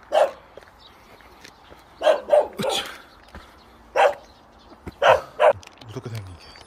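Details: Pet dogs, including plump Tongtong, bark at a new delivery driver in a rural village, wanting to play. Short loud barks are spaced irregularly across the stretch, a single one, then doubled and tripled barks, with faint background noise between.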